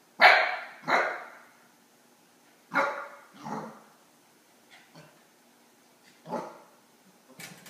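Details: Eight-week-old Akita puppy indoors barking at a cat sitting on its crate: sharp high yappy barks in irregular bursts, two quick ones at the start, then pairs and single barks spaced a second or more apart.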